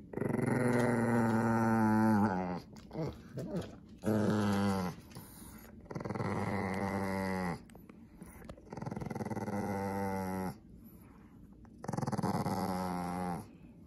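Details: Pekingese guarding its toy mouse, growling in anger when a person reaches to take it: five drawn-out, rattling growls of one to two seconds, some rising slightly in pitch, with short gaps and faint shuffling.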